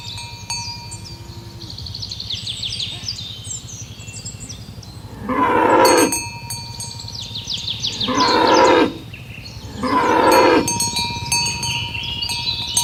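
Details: Tame cows herded along village roads toward the pen in the morning; three loud, drawn-out, harmonic moos arrive a few seconds apart in the second half, over steady cowbell chimes and faint bird chirps.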